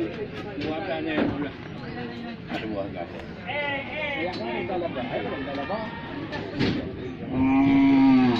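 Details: Cow with a broken leg from being struck by a car. It lets out a low, steady moo near the end, while people talk and chatter throughout.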